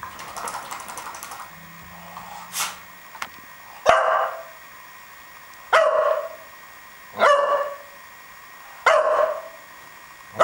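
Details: Nemo, a pet dog, barks while rolling around: four short, harsh, mid-pitched barks spaced about one and a half seconds apart, each with a bright burst, after a quieter stretch of shuffling and a low hum.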